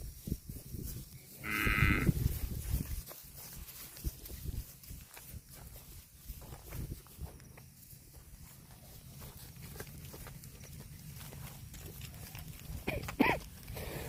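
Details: Cattle grazing on grass: one loud, drawn-out moo near the start, followed by steady chewing and tearing of grass, then a brief second call near the end.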